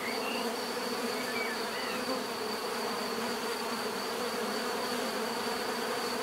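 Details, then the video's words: Bees buzzing in a steady, dense hum with layered low drones and a thin high whine running throughout, unbroken and even in loudness, heard as a natural swarm sound for relaxation. "bees therapy relaxing natural buzzing sound"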